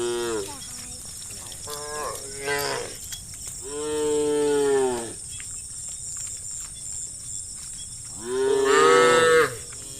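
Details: Evening on a country road: herd cows calling their friends to come home to the barn, giving five rich, harmonic moos, some arching, the longest lasting over a second, against a steady high-pitched background hiss.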